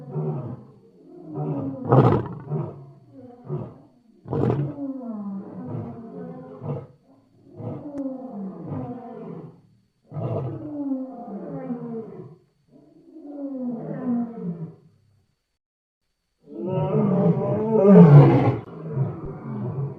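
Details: Wild lions roaring loud: an uneven string of rough, low roars and grunting bursts with falling tones, broken by brief pauses, then a final strong, drawn-out roar.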